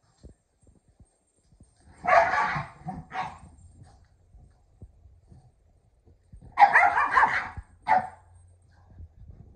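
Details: Kumo the Keeshond, excitedly playing with a red ball alongside Sully the Boston Terrier: two short bursts of harsh, broadband barks about four seconds apart, each a quick double yap, with quiet thumps and shuffling between.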